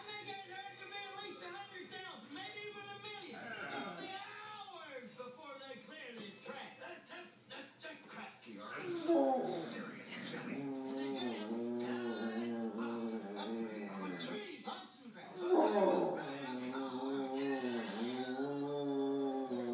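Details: A male dog howls in long, wavering, rising and falling notes while watching the movie Polar Express on television, which he does every time; TV sound plays along.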